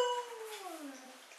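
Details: A female Siberian Husky lying on a coffee table "talks" back to her owner in conversation with a short, moaning howl that slides steadily downward in pitch.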